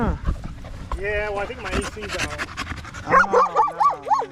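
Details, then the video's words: Staffordshire Bull Terrier among male dogs on a long evening at the park, a 'wolf pack chat': a harmonic, moaning vocalisation that ends in rapidly wavering, yodel-like warbles. "Long evening at the park male wolf pack chat"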